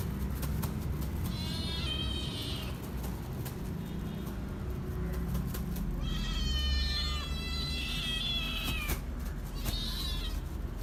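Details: Hungry kittens meowing loudly: long, high, wavering cries rising and falling in overlapping bursts, a pause, then more drawn-out pleading meows, over a steady low rumble of background noise.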